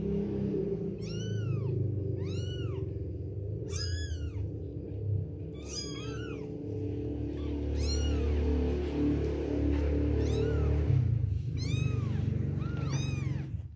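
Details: Two-week-old baby kittens at milk time giving loud, high, arching meows, several overlapping in quick bursts, over a constant low rumbling background.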